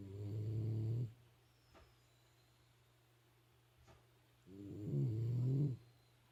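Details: Shiba Inu kept as a household pet, snoring indoors: two deep, rumbling snores, one at the start and one near the end, separated by about three seconds of quiet breathing.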